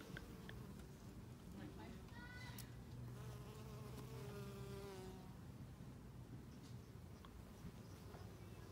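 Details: Bees working mint flowers while pollinating, a dense continuous low buzz overlaid by several nearby fliers whose wavering hum tones rise and fall between two and five seconds.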